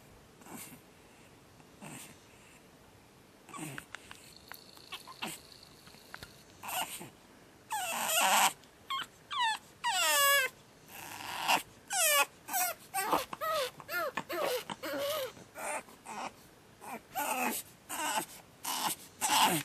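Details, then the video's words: A Pug puppy called Batman on his second night, quiet whimpers at first, then building into a dense series of loud wavering screams and yelps, some bending up and down in pitch, repeated about every half second. "Pug Puppy Screaming"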